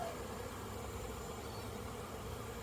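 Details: Swarming cloud of honey bees making orientation flights outside a crowded hive, September 2022: a brief, even drone of many wings, low and continuous, without distinct individual notes.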